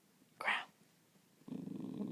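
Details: Female mini boxer puppy performing a growl on command indoors: a short sharp human prompt, a pause, then a steady low pulsing growl that continues to the end.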